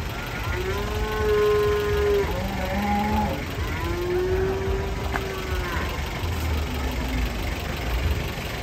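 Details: Huge, agitated cow unloaded from a truck, mooing in two long, low, harmonic-rich calls, the first steady and the second gently arching, while people shout and talk nearby amid vehicle rumble.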